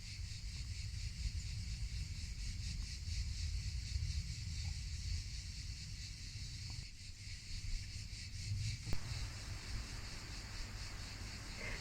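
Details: Provence cicadas singing in the summer afternoon sun: a continuous high buzz that pulses in a regular, even rhythm, with low, rumbling wind noise underneath.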